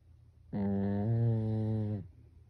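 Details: Pekingese pet dog asleep indoors, snoring like a human: one deep, humming snore about one and a half seconds long whose pitch drops slightly partway through before it cuts off.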